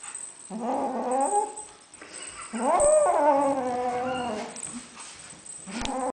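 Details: Lilac Ocicat kitten guarding a toy, growling possessively like a puppy; drawn-out harmonic growls that rise into a louder, more strained whine in the middle, then settle back to a low rumble.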